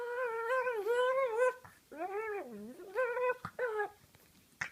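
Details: Female pug indoors, having her face played with by her owner, makes a run of wavering, nasal whining yowls that swoop up and down in pitch, in four bursts with short gaps.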